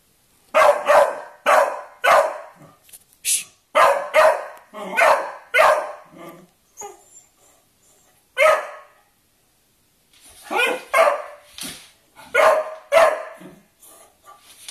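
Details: Domestic dogs, a Beagle wanting to play with a Kerry Blue Terrier: bursts of loud, sharp barks in quick runs of three to four, a pause near the middle, then another fast series of barks and short yips.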